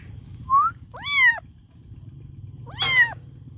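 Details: Kitten calling for its mother: three short meows, the first faint and brief, the next two arched, harmonic-rich rising-then-falling cries about two seconds apart, over a steady low hum and a constant high electrical whine.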